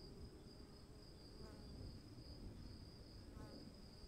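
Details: Cricket calling in the rain: a steady, unbroken high-pitched trill runs throughout, with a fainter second tone above it, over a constant low hiss of falling rain.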